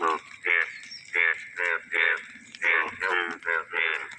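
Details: At the onset of the first monsoon rains, yellow frogs croak while dancing in water; rapid, evenly paced harmonic bursts follow one another in a steady, bright chorus.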